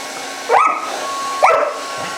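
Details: Five-month-old German Rottweiler puppy attacking a hairdryer: two short, sharp, rising yelping barks about a second apart over the steady whirring hum of the running hairdryer.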